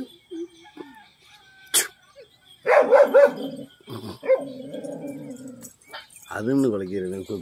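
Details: Fighting German Shepherds: after a quiet start, harsh snarling barks and rough growled bursts, then a steady rasping growl, ending with a loud wavering, quivering cry.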